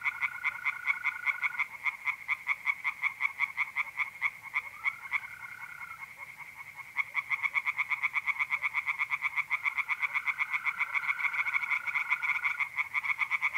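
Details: A night pond chorus of tree frogs in north-eastern Italy in mid-April, fast clicking pulses repeating without pause from many frogs. Sustained, even mole cricket trills come and go underneath.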